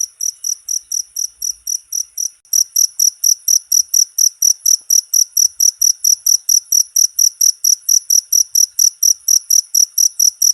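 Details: Short cricket recording used as tutor sound for all cage birds; rapid high-pitched chirping pulses, a brief break after about two seconds, then a denser, louder series continuing steadily to the end.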